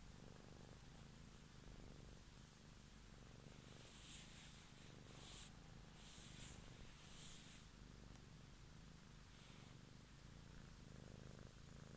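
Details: Cat purring close to the microphone, a steady low rumble pulsing in soft in-and-out cycles, with faint brushing hiss bursts above it.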